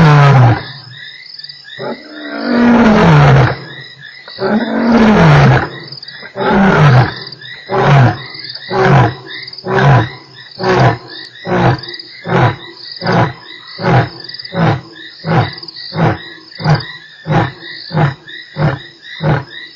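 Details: Lion roaring at Nkorho on 3 March, one of eight roars within an hour: two long deep moaning roars followed by a run of about twenty short grunts that speed up and shorten, over a constant background of croaking frogs.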